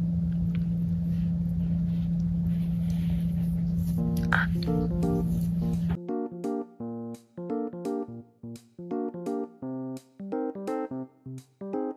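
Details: Sustained low hum with noisy texture for six seconds, then clean electric piano notes played in a bouncy, regular rhythm; no animal voice.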